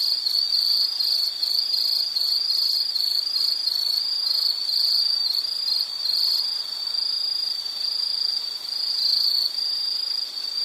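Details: Insect chorus from a nature soundscape: a high shrill trill pulsing quickly in the first half, then smoothing into a near-continuous ringing tone, with softer higher chirps overhead.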